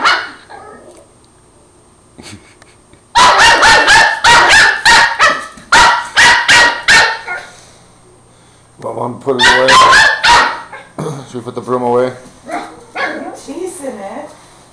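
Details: Border Terrier puppy fighting a broom and running away: rapid volleys of sharp high barks, followed by quieter yelping whines, with a person speaking over the barking.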